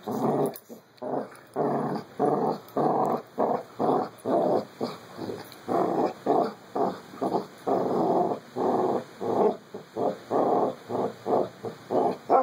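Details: Two puppies, Carlee and Sonny, playing together: steady rhythmic growling in short throaty pulses, about two to three per second, running almost unbroken, with a faint steady high hum behind.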